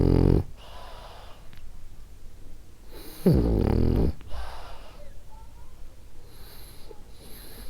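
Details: French Bulldog Ariva snoring while asleep: a loud low snort opens, another rattling snore follows about three seconds later, then quieter hissing breaths trail off.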